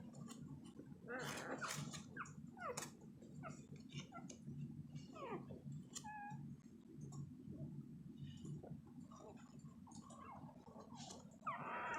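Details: Newborn Labrador Retriever puppies, less than two days old, sleeping and crawling; soft high squeaks and short whimpers scattered throughout, some sliding downward, over a steady low hum.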